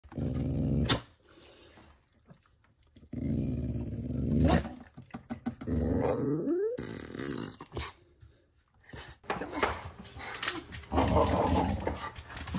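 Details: Beau, a pet dog, makes his Chewbacca-like "let's get going" growl: long, low rumbling growls with a rising whine near six seconds, separated by pauses and short sharp clicks.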